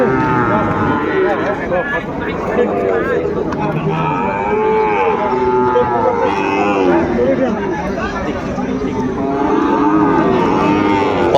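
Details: Sahiwal cattle, including bull calves, at the start of trading at Ambari cattle market in Dinajpur on 18 November 2024: overlapping low moos from several animals amid steady crowd chatter and a man's voice.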